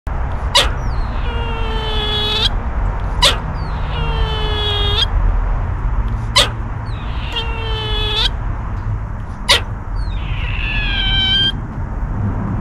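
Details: A squirrel squealing: rich harmonic cries that slide downward, each lasting about a second and repeated roughly every three seconds, with sharp clicks between them over a steady low rumbling background.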